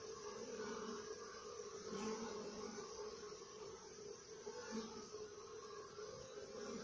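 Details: Continuous hum of honey bees in their hive, a dense, unbroken drone with bright overtone bands and slight swells in loudness, with no other sounds standing out.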